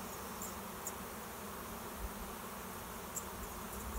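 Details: Honey bee swarm settling into a swarm trap set behind a garage, bees landing over about an hour: even, continuous droning hum with soft rises as single bees zip past, plus faint ticks.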